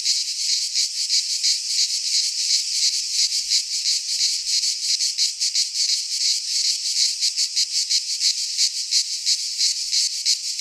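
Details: Midsummer chorus of cicadas in a pine forest in Greece, a harsh continuous buzz throbbing in quick regular pulses, nearly three per second, unbroken for the whole stretch.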